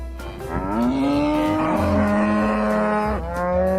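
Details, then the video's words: A long cattle moo that rises slightly and holds for over two seconds before breaking into another moo, with rhythmic music playing underneath. "SOM DOS BOIS"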